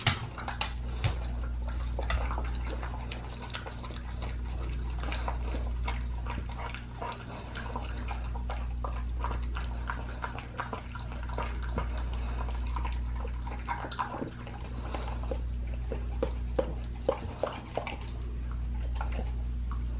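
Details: Pit bull gnawing on a raw leg of lamb: sharp cracking bites and moist smacks in uneven bursts, sometimes pausing briefly, with a steady deep hum underneath.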